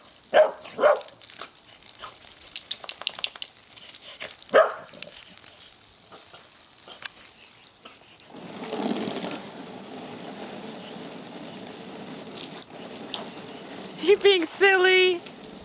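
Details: Corgi playing with hose water, one of two corgis with a golden retriever nearby: a few sharp barks early on, then a long stretch of spraying water, and finally a burst of high, whiny, harmonic yelps.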